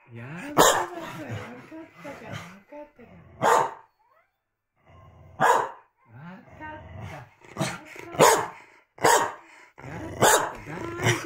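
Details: Corgi barking repeatedly at its owners while they talk, trying to interrupt them. Short, harsh barks are scattered irregularly through the recording, interleaved with a person's calming speech.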